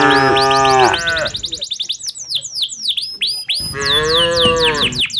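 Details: Two full-throated moos, one at the start and one near the end, from tame cattle led by a herder back to the farm in the late afternoon, with rapid bird chirps filling the gap.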